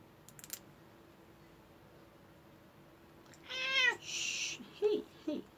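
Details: Domestic cat meowing indoors while having its claws clipped, one of two cats groomed around the New Year; a short harmonic meow, then a noisy burst and two brief softer mews, in an otherwise quiet room.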